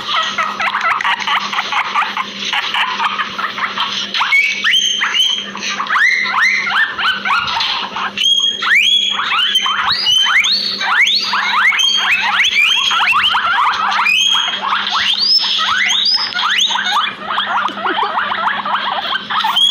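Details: Two guinea pigs in a backyard wheeking almost nonstop, many overlapping upward-sweeping squeals packed densely together, loud and shrill throughout, with a faint low hum beneath.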